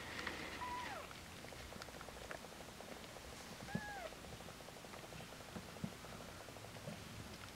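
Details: Cat mews recorded indoors on the day the cat Hodu gave birth to her kittens, as the first, Waung-i, was born: two short, faint, arching mews about three seconds apart over a steady background hum.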